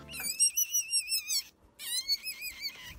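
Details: A domestic rabbit gives shrill, wavering screams, a rare cry of extreme pain, panic or imminent danger, such as an attack or serious injury.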